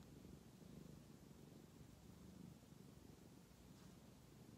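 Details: A tabby cat enjoying head scratches purrs steadily with a low, continuous rumbling vibration of contentment.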